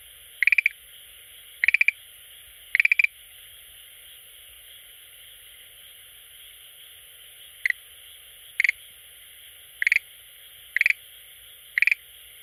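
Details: Schlegel's green tree frog calling at an aquarium it visits every day: rattling bursts of quick pulses, several series with a pause of about four seconds between them, over a constant high background hiss.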